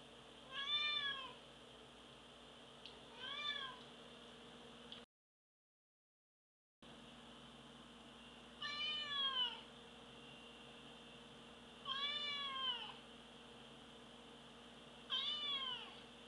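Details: A domestic cat meows five times, roughly every three seconds. Each meow is short and harmonic, rising then falling in pitch. A low steady hum continues throughout.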